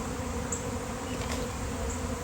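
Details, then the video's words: Honeybee swarm of thousands of bees appearing suddenly on a fine day, heard as a steady, even low drone resembling a flying drone, with faint high chirps of birds in the background. "Giant Bee Swarm came out of nowhere!"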